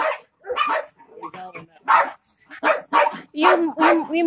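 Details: Jack Russell Terriers, three dogs facing a snake, give sharp yapping barks mixed with a person's voice, the barks coming in quick bursts with short gaps between them.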